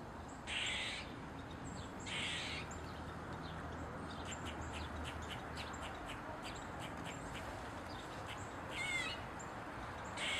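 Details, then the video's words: Eastern gray squirrel dancing on a mushroom, tail wagging, gives harsh, raspy barks near the start, again around two seconds and at the end, with a loose series of short sharp squeaks between them over steady low background noise. "Squirrel barking & squeaking loud sound, as dancing on mushroom"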